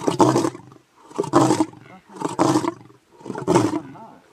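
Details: Lion giving four harsh, breathy grunting roars, about one per second, each rough and broadband with a short gap between.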